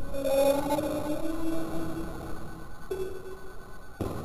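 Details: Drawn-out cat yowl during a bath. A long, wavering moan slowly dips in pitch, a pause follows, then a shorter, flatter cry begins before a thump cuts it off. Small-room echo surrounds it.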